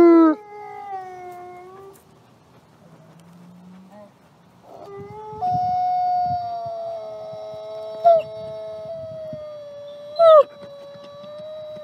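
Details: Nikai, a captive-born gray wolf at the Wolf Conservation Center in South Salem, New York, gives long, steady howls with sudden yodelling breaks in pitch.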